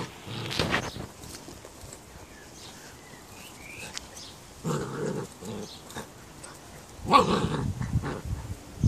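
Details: Candy, an excited 11-week-old female Standard Schnauzer puppy who hates the bird feeder, gives rough, short growling bursts outdoors: one brief burst near the start, a longer rumbling stretch midway, and a louder harsh outburst near the end, with quiet background between.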